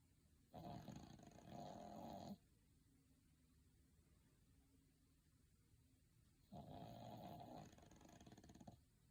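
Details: A dog asleep, snoring contentedly. Two long rasping snores of nearly two seconds each arrive about six seconds apart, with quiet breathing in between.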